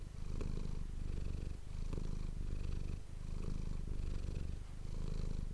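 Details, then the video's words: Manis, a pet cat, purrs into an ASMR microphone: a deep continuous vibrating rumble rising and falling with her breathing, each inhale-exhale cycle lasting about a second and a half, in a quiet room. "ASMR cat purring ❤ Manis die aan het spinnen is"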